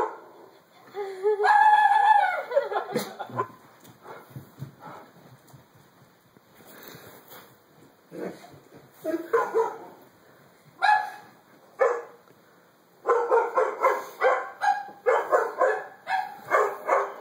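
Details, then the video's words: A scared Doberman starts with a high, drawn-out whimpering whine, scattered yips follow, then a fast, uneven volley of barks near the end. "Funny Scared Doberman"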